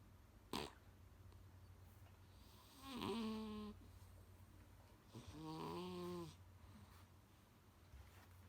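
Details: Loud snoring from Kuu-chan, a pet Munchkin cat whose snores sound like an old man's and sometimes wake its owner; two rough, rasping breaths with a wavering tone, preceded by a sharp click, over a constant low indoor hum.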